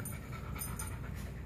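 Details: Panting dog, one of three female dogs being looked after for the weekend, in a backyard during the first outing of the day; soft breathy huffs come in quick uneven bursts over a low background rumble.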